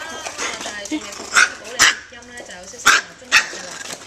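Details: Pet micro teacup poodles, originally from Alabama and now living in Hong Kong, in an excited frenzy; four high, piercing yips in two pairs, while human voices chatter underneath.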